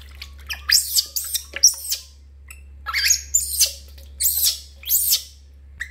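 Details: A baby monkey named Lori screams during a bath: sharp, high, arching squeals in paired bursts, with short silent gaps between cries and a faint low hum beneath.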